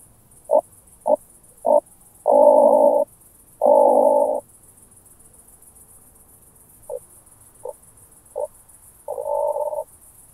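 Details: Recorded with a Pettersson D 100 ultrasound detector in Starnberg, Germany, on 18 July 2023, an oak bush-cricket gives three short ticks and two long buzzy bursts, falls silent, then repeats three fainter ticks and one longer burst.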